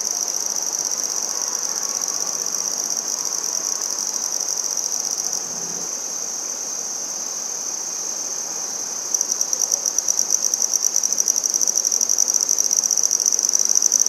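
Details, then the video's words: Red-headed bush cricket (handsome trig) in Maynard, Massachusetts, 14 September 2019, giving a continuous thin high trill that turns sharply louder and more distinctly pulsed after about nine seconds, with faint background hiss. "Handsome Trig Singing"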